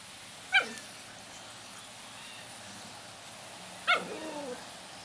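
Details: Border Collie puppy named Sheldon, a new puppy at play with a spray, gives two short high yelping yips about three seconds apart, the second trailing into a brief whine, over a quiet indoor hiss.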